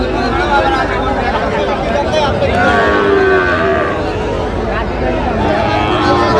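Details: Moos of Sahiwal cattle at a busy Narsingdi cattle market in Bangladesh, 28 July 2025, where Sahiwal bulls and calves are traded; long lowing calls overlap with continuous human talk and haggling.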